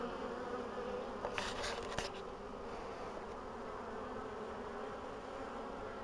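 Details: Bees in mid-April 2013, after a long winter, with colonies in good condition and queens laying again. A continuous low buzzing drone fills the recording, broken near the start by a few brief clicking knocks.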